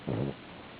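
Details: A brief, deep snore from Bella the dog while she sleeps: one short, throaty, buzzing breath that fades quickly into a quiet hissing room.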